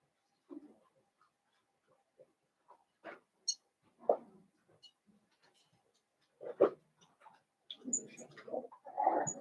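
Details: Blenheim Cavalier King Charles Spaniel puppies from a litter of five born at New Year, indoors in a home puppy pen. Short scattered squeaks and whines, with a louder cluster of grunting whimpers near the end.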